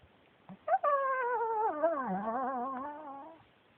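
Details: Yuyu the Pekingese, a male adopted from a shelter, utters one drawn-out talking moan, rising briefly then sliding down and wobbling before fading, after a couple of soft yips.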